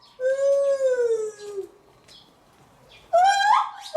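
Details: Lar gibbon at Maruyama Zoo in Sapporo, recorded on 11 July 2020: a long clear tonal hoot that rises slightly and then slides down, followed after a pause by a short, sharply rising note.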